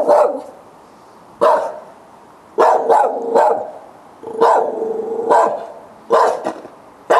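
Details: Dogs barking in the night around 10 o'clock, July 2013, a nightly problem; steady series of loud barks roughly every one to one and a half seconds, some doubled.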